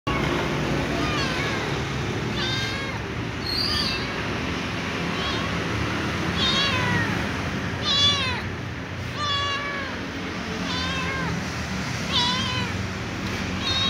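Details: Little ginger cat meowing and whining for dry food: repeated short harmonic meows, some wavering, roughly every one to two seconds over a steady low background hum.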